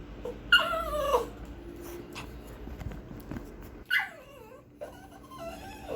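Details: Pinscher dog vocalising, described as barking loud and fierce: three high, drawn-out yelps, each sliding downward in pitch, with a short buzzy tail on the last. Faint steady hum in the background.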